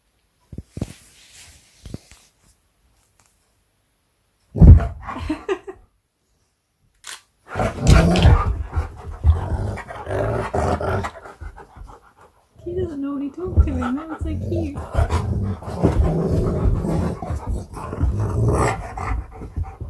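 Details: Siberian Husky K'eyush, surprised by his best friend for his birthday, gives scattered rough growly vocalizations and a short wavering whine amid scuffling, thumps and bursts of activity.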